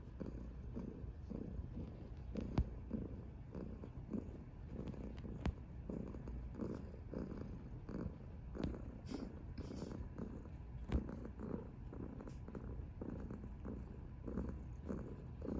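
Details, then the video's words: Cuddled orange tabby cat Mya, chubby and contented, gives a continuous deep purr that rises and falls with each breath roughly every half second, accompanied by occasional soft clicks and fabric rustling. "Purring Chubby Cat"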